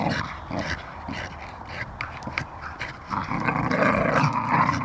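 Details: Two Staffordshire Bull Terriers, a female and her friend, play-fight evenly matched force for force, growling and huffing in rough, rapid bursts while a person talks.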